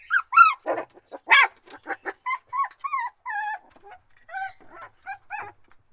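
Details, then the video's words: Dog mixing loud yapping barks with wavering, drawn-out whines, the barks coming first, then several sustained whimpers with slight pitch wobble, about one sound per second. "Dog Barking/ Whining/ Crying Sound Effects"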